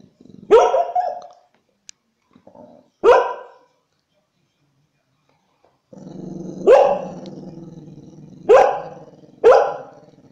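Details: Sharp single barks from an American Staffordshire Terrier, five in all with long pauses, the later ones over a steady low rumbling growl that carries on between them.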